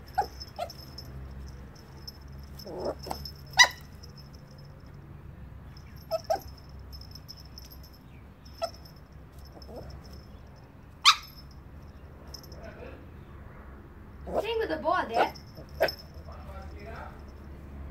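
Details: Yorkshire Terrier puppy giving scattered short yips and whimpers, a few sharp high squeaks and a wavering whine near the end, spaced irregularly over a quiet background hum.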